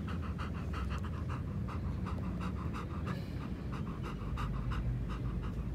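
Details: Nana, a three-legged German Shepherd, pants while running on a good day, out on a walk. Soft, quick, rhythmic breaths come about four per second over a steady low rumble of background noise.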